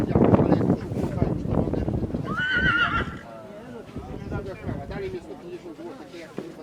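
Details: Stallion of the Polish PKZ cold-blood breed, born 2019, lets out one shrill, trembling whinny lasting under a second, amid chatter, hoof thumps and stable noise.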